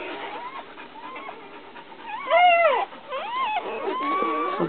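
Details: Newborn puppy Lady crying while mother dog Brandy licks her; soft faint whines build to one loud arched squeal midway, followed by shorter sliding whimpers, with a person's quiet voice nearby.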